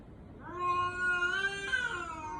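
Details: A cat's single plaintive meow that resembles a human infant crying: a sustained, nasal wail of about two seconds that lifts slightly in the middle before easing off.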